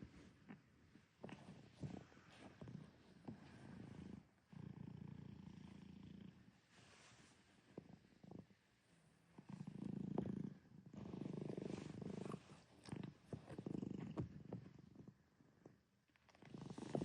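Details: Pet cat named Pinocchio napping peacefully with gentle snores, then purring on waking; soft low rumbling bursts separated by short pauses, some louder rhythmic stretches near the end, quiet overall.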